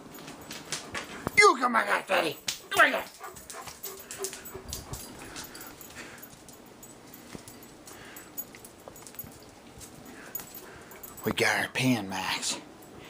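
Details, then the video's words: Two pet dogs, a German Shepherd and a Dachshund, squabble over a food bowl indoors. Harsh bursts of dog noise come near the start and again near the end, with a man talking through most of the recording. "Dog Bowl Wars"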